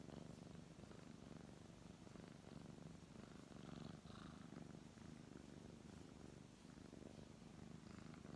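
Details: A brown tabby cat purrs as it is stroked, the low vibrating hum steady and even, swelling gently with each breath, with soft fur-rubbing noises over it.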